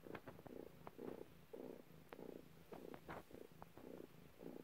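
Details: Cat purring while giving birth, a steady rhythmic rumble pulsing in even bursts about twice a second, with a few soft clicks and faint wet sounds between breaths.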